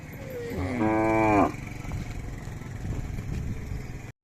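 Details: Khillar cattle, Athani fair, Belagavi district, April 2024, animals for sale: one drawn-out moo about a second long that swells, holding rich layered tones before stopping abruptly. Steady crowd chatter and engine rumble run beneath.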